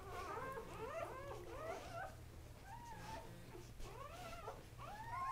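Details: Three newborn male Kuvasz puppies, born October 30, 2008, squeal and whimper together in high, wavering, rising-and-falling cries that overlap in quick bursts throughout, over a steady low hum indoors.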